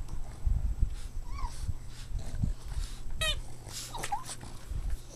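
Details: Playing Boston Terrier puppies let out short, rising-and-falling whimpers and a bright, quavering yip, spaced about a second apart. Low bumps and scuffling sounds run underneath.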